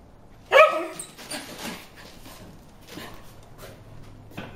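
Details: Bruce the dog barking at fish in a water hole: one sharp, loud bark right near the start, followed by several seconds of quiet outdoor background with faint rustling and a low steady hum.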